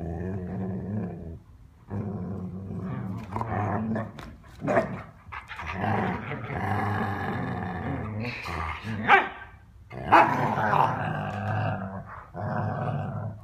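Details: Dogs playing roughly, mixing continuous low growls with sudden sharp barks and yips, the noise rising to a louder scuffle toward the end.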